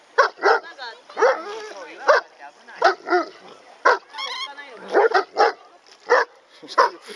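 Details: Dog barking during a beach outing for sea bathing: sharp, loud barks in quick pairs and singles, roughly every half second to second, with people talking nearby.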